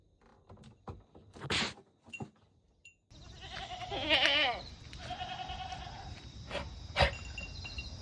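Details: Goats, including miniature goats, kept on a homemade farm, calling in a summer recording dated 25 August; a loud wavering bleat rises mid-clip after scattered knocks and rustles, with a steady background hiss and sharp clatters.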